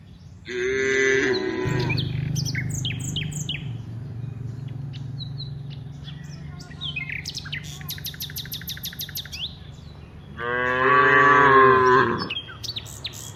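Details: Dozens of cows walking from the rice fields toward the village. A moo opens, a low drone hums through the middle, and a second moo comes near the end. Bursts of fast bird chirping fill the gaps.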